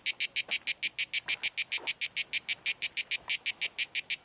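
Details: A cicada sings a steady series of hissing, rasping pulses, about six each second, at Kaiser's Throne in Pelekas, Corfu, Greece.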